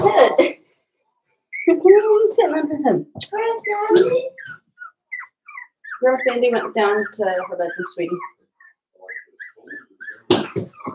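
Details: Cavalier King Charles Spaniel puppies, five weeks old, inside Daisy's puppy pen: loud, drawn-out whimpering cries in wavering bursts, broken by short gaps, with sharper yelps toward the end.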